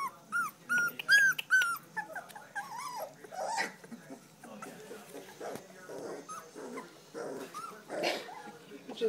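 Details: Three-week-old standard poodle puppies whimpering: a run of high, thin, bending whines close together in the first two seconds, then softer scattered squeaks and whimpers, with a person talking quietly throughout.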